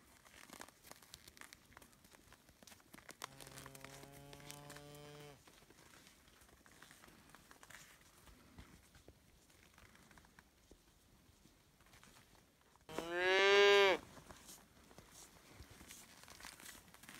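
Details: Highland cattle, a Scottish breed, cows and calves walking their winter snow trail at sunrise on 5 March 2018 on a farm in Finland; a low, drawn-out moo near three seconds, later a louder, higher rising bawl, soft rustling between.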